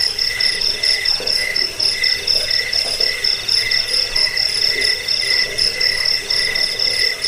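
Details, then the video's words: Chorus of crickets used as a rat repellent, sleep aid and bird-training sound: shrill pulsed trills continue without pause while a lower chirping layer rises and falls in short bursts roughly twice a second. "Suara jangkik pengusir tikus pengantar tidur"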